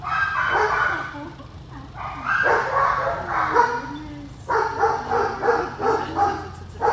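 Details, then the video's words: Excited Cane Corso greeting its owner on their reunion: a rapid run of whining yelps and short barks in pulsing bursts, with voices in the background. "Loki's Owner Reunion | Cane Corso"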